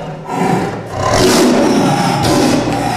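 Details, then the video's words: A captive man-eating tiger, caged after killing a village woman cutting grass, gives a deep, rasping roar that swells after a brief pause and holds for over two seconds against a steady low rumble. "This man-eating tiger's roar"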